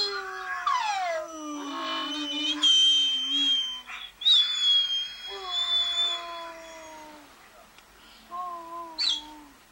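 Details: A dog howls in long, mournful notes that slide downward, with several overlapping higher howls early on, then quieter separate howls fading out toward the end.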